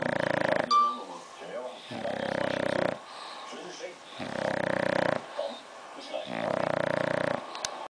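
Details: English bulldog in deep sleep, snoring loudly: four long, rasping, buzzy snores, each about a second long, repeated roughly every two seconds with quieter breathing between them.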